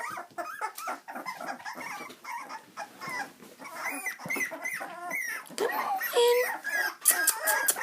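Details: Several miniature dachshund puppies squeak and whine in a busy, overlapping chatter of short, high, wavering yelps, with a soft human voice faintly mixed in.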